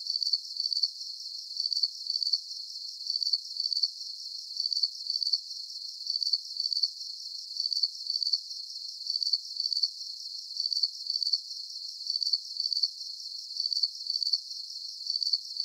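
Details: Calming cricket chorus: shrill, high chirps of three or four quick pulses each, repeating at a very steady pace of roughly one burst per second, with nothing else audible.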